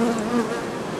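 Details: Buzzing of honey bees during summer work at a pavilion of bee colonies in an organic apiary, a low droning hum with a clear overtone that holds for a moment, then fades into a soft, even background hiss.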